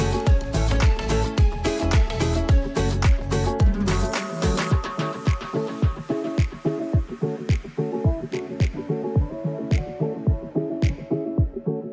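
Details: Upbeat dance music with a steady thumping beat and bright percussive hits; no animal sounds can be picked out.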